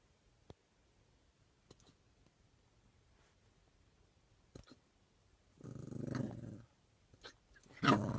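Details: A puppy with hiccups, trying to bark them away, gives a short, husky bark after several faint clicks and quiet hiccup-like sounds.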